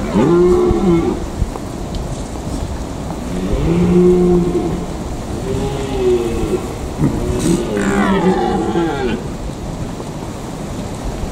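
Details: Red deer stags calling during the rut in the Eifel: deep, drawn-out roars with harmonic bands, several in succession, the last rising and harsher, over steady background noise.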